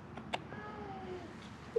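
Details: Feral cat near a closed-down building at Mare Island Naval Shipyard, Vallejo, California, one of three crying in hope of food; a single drawn-out, slightly falling meow, with soft clicks and a low background hum.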